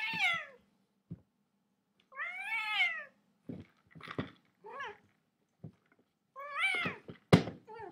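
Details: Cat meowing repeatedly indoors: several drawn-out, harmonic meows that rise and fall, with short clicks and thumps between calls and a faint low hum in the background.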